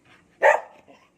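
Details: A single short, hoarse bark from Cherry, a dog tending kittens, "talking" back when prompted, with faint low murmuring around it.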